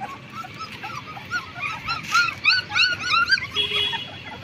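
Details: Twenty-day-old black German Shepherd puppies whimpering: soft, scattered arched whines build into a louder cluster of quick rising-falling yelps partway through, with a thin steady squeal near the end.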